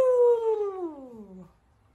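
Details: A 4-month-old pug puppy lets out one loud, wailing howl that starts high and clear, then glides steadily lower over about one and a half seconds before stopping, indoors.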